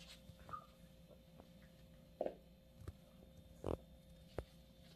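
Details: English Bulldog puppy named Hercules, recorded November 30, 2020; a few short, husky snorting grunts, piglike and spaced irregularly, with two louder bursts midway and a quick sniff near the end, over a quiet indoor background with a faint steady hum.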